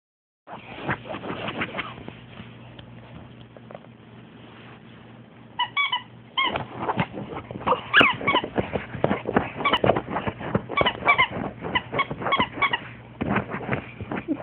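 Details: Betty, a pet French Bulldog, freaking out in a long excited fit that turns into screaming: rapid, uneven bursts of hoarse yelps and high squeals, some pitched and squeaky, about three per second, with a squeaky toy also in play.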